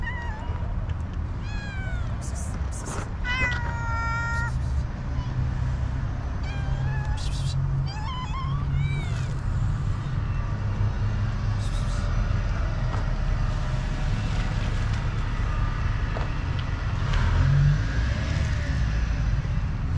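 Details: Hungry homeless cats and kittens looking for food among rubbish give a run of short and longer meows, some overlapping, in the first half. Then the noise of passing vehicles and street rumble takes over.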